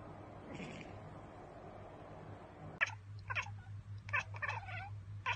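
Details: Housecat chattering at prey it cannot get to, a bird or insect: after a soft early chirp, sharp staccato bursts of clicking, chattering notes come in uneven clusters over a low constant hum.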